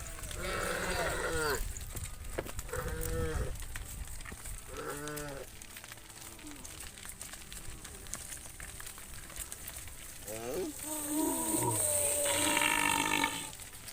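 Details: Herd of tame cattle walking back to the farm pen as the sun sets: a series of short lowing calls, some sliding downward, then a louder, harsher bellow near the end, against constant background noise.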